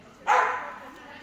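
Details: Fitz the dog lets out one sharp bark with an abrupt start that fades away over about half a second, during a training session with the handler's spoken praise nearby.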